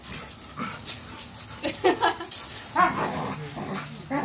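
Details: Cash, an American bully puppy, plays at a dog park: short scattered yips and growly bursts, loudest near the middle and end, over a murmur of outdoor background noise.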